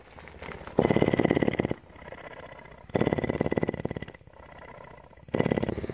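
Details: Captive female mountain lion at a Bridgeport, Texas rescue purring steadily. Roughly one-second bursts of rapid, coarse vibration alternate with softer, muffled purring phases, three loud surges in all.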